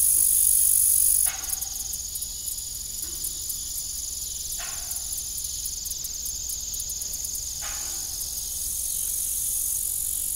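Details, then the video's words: Evening crickets at an old farm with a rusty, broken windmill, giving a dense continuous high-pitched trill with pulsing upper tones, broken by three brief creaking bursts a few seconds apart. "Evening Cricket Sound"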